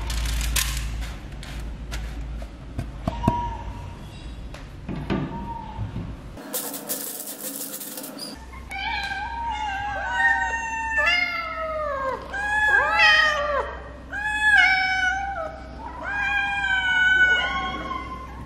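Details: Cats and kittens being fed, giving repeated rising-and-falling meows in quick succession over the second half, several voices overlapping, after thuds and handling noises and a brief burst of loud noise.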